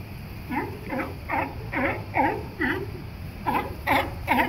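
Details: Sea lions barking at La Jolla Cove, San Diego, California: a rapid run of about eleven harsh, hoarse barks, each with a dipping, V-shaped pitch, coming roughly two or three per second over a steady low background rumble.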